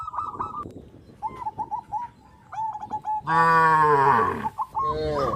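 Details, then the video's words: On a traditional village farm, quick high bird chirps give way to a single loud, sustained cow moo lasting over a second, followed by a shorter second low. "sound of cows"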